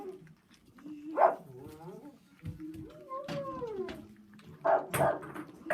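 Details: Rottweiler puppies giving thin, high whining yelps that rise and fall, several short overlapping cries with a few sharper squeaks, indoors with soft handling noises.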